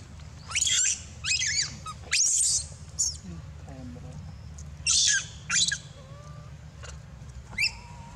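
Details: Dito, a baby monkey, screams loudly for missing milk and bites Anya: a series of piercing, harsh shrieks in short bursts about every second, with quieter gaps and faint squeaks between.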